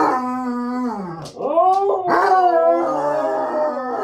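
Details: Husky, Basset Hound and a small dog singing together while dinner is being prepped at home; sustained howls bending downward, then new rising howls overlapping in a chorus of several voices.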